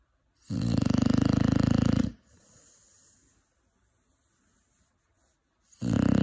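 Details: Young Cane Corso, aged five months, snoring in sleep: one long, harsh, rattling snore of about one and a half seconds, a quiet pause, then the next snore starting.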